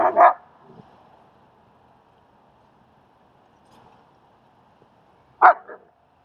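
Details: Barking from German Shepherd Strike during a dog training and socializing session with Leonidas in Queens, New York; one sharp bark opens, a long hush follows, then a quick double bark.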